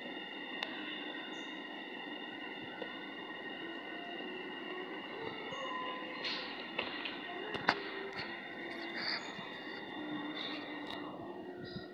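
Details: A steady mechanical rumble with humming tones and faint voices, like a passing train, and no animal calls.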